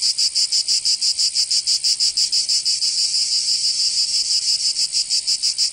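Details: Cicadas singing in summer in Provence, southern France: a loud, dense, high buzzing chorus pulsing rapidly about three times per second, steady and unbroken throughout with no other sounds.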